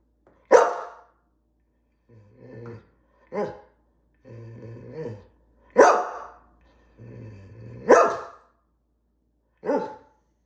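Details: Greyhound barking loudly for its dinner indoors: five sharp, explosive single barks at irregular intervals, with low grumbling growl-whines filling the gaps between them.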